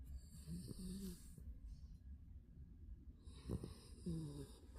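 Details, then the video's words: Snoring Spitz at nap time: short wheezy, squeaky snore bursts near the start and end with hissing exhalations, a quiet pause between, steady low hum underneath. "역시 낮잠은 코골이지!"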